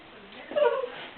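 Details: A male Cavalier King Charles Spaniel puppy gives a single short, high, tonal bark while arguing with his own reflection.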